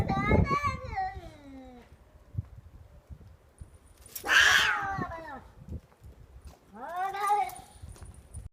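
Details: Cat making strange calls during a fight; harsh drawn-out yowls that slide downward, a loud noisy hiss-like burst midway, then another rising-falling wail, with scattered knocks and rustling between.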